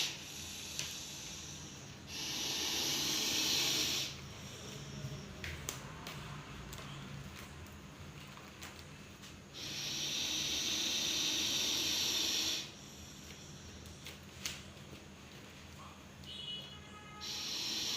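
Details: Deadly venomous Russell's viper caught in Coimbatore, giving two long, loud, breathy hisses of about three seconds each, roughly seven seconds apart, with quieter rustling and clicking handling noises in between.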